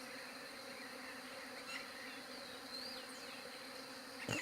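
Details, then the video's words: Continuous bee buzz captured with a Galaxy J7 Prime 2 phone, a level droning hum with stacked tones, a few faint high whistled bird notes drifting over it and a sharp knock at the very end. "SOM DE ABELHA"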